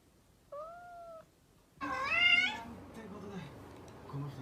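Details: A pet cat's short, flat tonal note is followed by a louder, wavering, harmonic-rich meow, with soft low background murmur afterwards.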